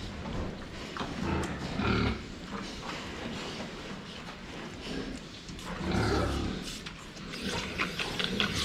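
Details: Pigs filmed from the front while drinking water: two bursts of low, rough grunting, one near the start and a louder one about four seconds later, against steady background noise and faint clatter.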